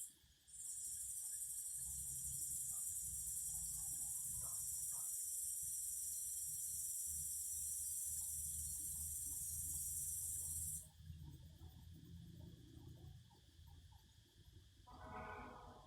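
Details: Cicadas sing in nature with a loud, continuous high-pitched buzz that holds steady for about ten seconds and then stops abruptly. Afterwards a brief, lower rasping pulse and soft background noise are left.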